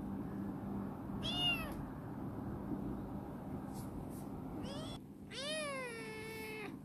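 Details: Chibikuro, a formerly stray female black cat rescued and grown affectionate and lively in a warehouse, gives three meows: a short one, a brief rising one, then a long drawn-out arched meow, with low background hum.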